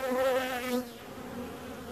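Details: Bee buzzing close by: a steady droning hum with a rich stack of harmonics that wavers slightly in pitch, loud for the first three-quarters of a second and then fading to a softer hum.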